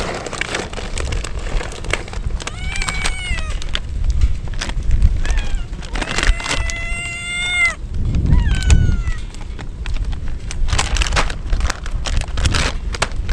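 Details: Stray kittens soaked through in the rain as a typhoon approaches, crying loudly while two mother cats lead the way to them. Several drawn-out, wavering meows come in bursts, some rising then falling, over a steady low rumble of rain and wind.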